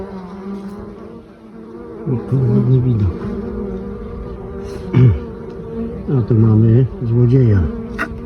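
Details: Honey bees carrying mustard pollen on 9 October at a beekeeper's hives: a steady low droning hum, with several louder swooping buzzes as bees fly close past, each lasting under a second.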